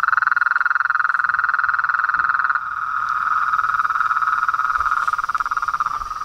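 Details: Frogs, toads and treefrogs chorusing at nightfall at a reservoir pond in front of a house veranda; a dense, steady pulsing trill centred in the mid range fills the clip, with a fainter higher band and a slight drop in intensity midway.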